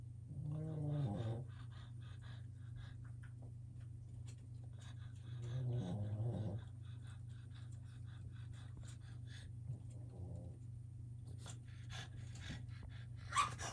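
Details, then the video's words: Boston terrier puppies at play on an enrichment wobble disk give two short, low rumbling growls several seconds apart. A fainter third growl follows, with panting, scuffling and a steady low hum between them. "Boston Terrier puppies playing"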